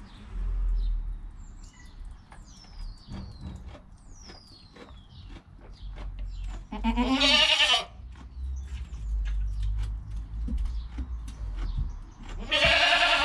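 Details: Newborn goat kid in its first hour of life, mother close by, captured on a GoPro: two wavering, buzzy bleats several seconds apart, over steady low rustling and thin, sweeping chirps of small birds in the background.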